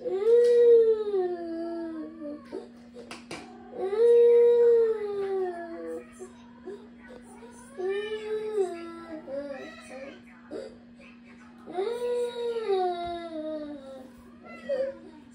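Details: A Ragamuffin cat gives long, drawn-out, arching meows, joining in as the older daughter cries after being scolded.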